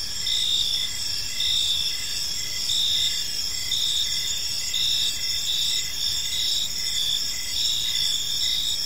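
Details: Several crickets sing in a park at evening, continuous shrill bands joined by rhythmic short chirps spaced under a second apart, over a soft low hum.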